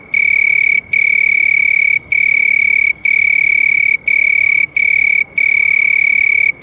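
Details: Continuous shrill trilling from a house cricket, pure and even in pitch, broken into runs of roughly one second by brief silent gaps, eight bursts in all.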